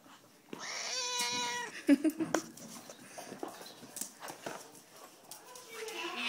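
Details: A pet cat called Madeline, objecting to being petted, gives one long level meow lasting about a second, followed by quieter human talk and rustling.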